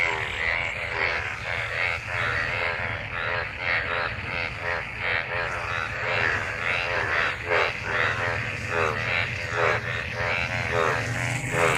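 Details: After the monsoon rain, a crowd of frogs in gathered rainwater croaks during mating: a busy chorus of rasping, harmonic croaks packed closely together, with a continuous high trill behind them.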